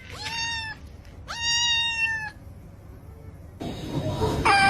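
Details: Domestic cat, kitten, giving two clear rising-then-falling meows about a second apart, followed by a burst of rustling noise and a short squeak at the end.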